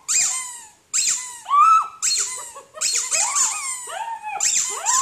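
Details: Poodle barking indoors: rapid high-pitched yelping barks, each a bright burst that slides down into a thin, whining tone, about one a second with short overlapping cries between.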